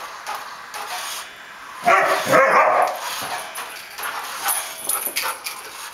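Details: Pet Samoyed dog being chased by a remote-controlled toy armadillo, giving a short burst of two or three sharp, harsh barks in quick succession amid steady rubbing and scraping noise.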